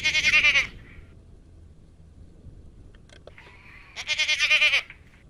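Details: Garut goat bleating twice, each a short wavering, tremulous cry under a second long, the pair several seconds apart, with a fainter nasal call and a few clicks in the quiet gap.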